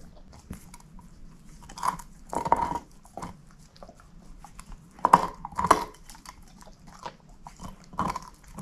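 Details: Moose, a shepherd mix bitch, works at a bone with loud uneven crunches, the strongest bursts near the middle and later in the stretch, separated by softer gnawing and pauses.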